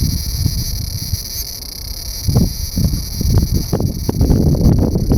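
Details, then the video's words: Large brown cicada singing while hidden beneath a loquat tree branch; a steady high sizzling drone runs throughout, partly covered by loud low rumbling and thumping noise in the second half. "セミの鳴き声２～アブラゼミ～Large Brown Cicada"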